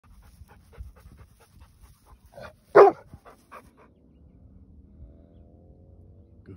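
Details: A Rhodesian Ridgeback dog barks in response to a coyote pack barking and screaming nearby, just after chasing a coyote into the brush. A single loud, sharp bark stands out over faint short repeated sounds and a low background rumble.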